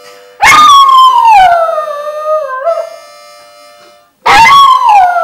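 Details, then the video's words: A singing dog gives a long howl that starts high and slides steadily downward with a wavering end, falls silent, then begins another high descending howl; a faint steady tone sounds underneath. "dog singing"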